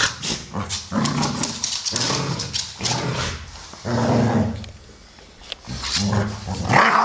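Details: Two American Staffordshire Terriers playing, a brown 12-year-old male named Solo and a grey female of 1 year 8 months named Shaya: rough growls, huffs and short muffled barks in bursts, with a quiet gap midway.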